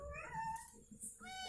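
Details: Ishu, a pet cat who has just given birth to kittens unexpectedly, gives a single drawn-out meow that rises slightly and then fades, while a person speaks softly nearby.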